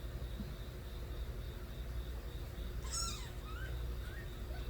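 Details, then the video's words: Stray kittens, the young of a cat named Nabi, crying loudly; one sharp, harmonic-rich meow bursts out near three seconds, then a few shorter, thinner mews follow, all over a steady low rumble of road traffic. "새끼고양이들의 우렁찬 울음소리"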